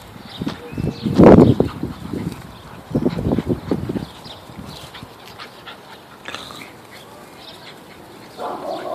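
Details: Pit bull growling while playing with a bull terrier: a loud, rough, low burst early on, a second cluster of gruff growls soon after, then quieter snuffling and scuffling sounds of play.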